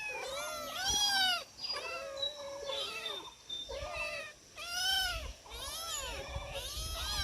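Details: Several of four domestic cats crying out while food is given: loud, bright, arching meows in bursts with short quiet gaps, voices layered on each other.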